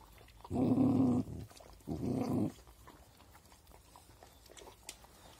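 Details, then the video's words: Dogs eating, one giving two loud, rough, harmonic growling bursts: the first lasts under a second, the second is shorter after a brief pause, then faint chewing and clicking sounds continue. "Sweet doggies eating."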